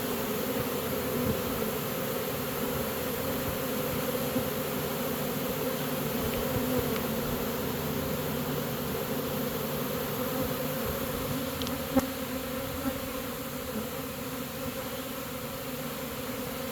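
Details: Honey bee swarm being caught and marching into a new home: a dense, steady droning hum with a low fundamental and strong overtone, unbroken for the whole stretch, with a few faint clicks and a sharp tap near the end.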